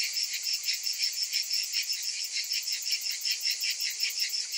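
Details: Summer cicadas fill the air with an unbroken, shrill electric drone, pulsing rhythmically roughly three times a second, several insects overlapping with nothing else audible.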